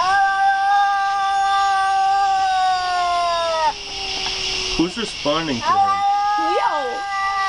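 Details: Domestic cat holding a long, steady moaning yowl that trails off, followed by several quick rising-and-falling wavering cries; a continuous hiss sits behind the calls.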